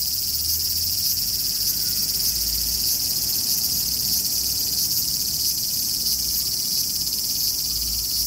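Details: Summer song of a large brown cicada: an unbroken, hissing drone high in pitch with a faint pulsing texture, over a soft low rumble of background noise.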